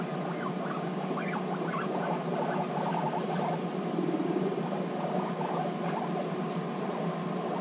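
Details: Two or more female guinea pigs back together after six months, bonding; scattered thin squeaks rise over a continuous muffled rumble and shuffling noise.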